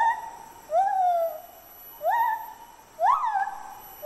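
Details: A male White-handed (lar) gibbon, Hylobates lar, sings clear, hooting song notes that swoop upward and level off, about one each second.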